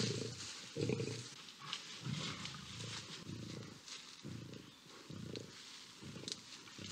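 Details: Two fighting lions and an intervening lioness on savanna grassland in Botswana; muffled, rumbling growls come in short uneven pulses roughly every second, fairly quiet throughout.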